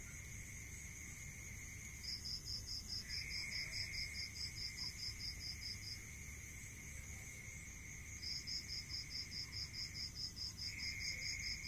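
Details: Crickets sing at night in the countryside: long runs of quick, evenly spaced high chirps separated by pauses, layered over a steady whining insect trill and faint low background noise.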